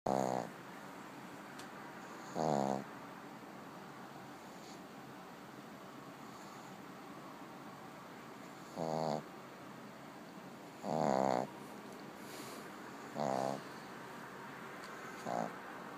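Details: A sleeping pet dog snoring indoors; rough, buzzy snores in short bursts every few seconds, some louder and longer, with quiet room noise between.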